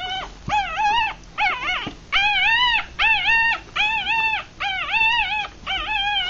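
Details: Six three-day-old puppies, Rat Terrier and Chihuahua cross, eyes still closed and feeding; loud steady series of arched squealing whines, roughly one a second, each bright and high with clear rising-falling shape.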